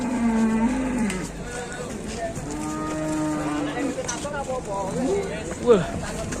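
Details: Cattle at Setia Farm, Indonesia, coming out of the pen, a cow likened to Wariso: a long low moo at the start, then a second drawn-out, level moo in the middle, with voices and yard noise around.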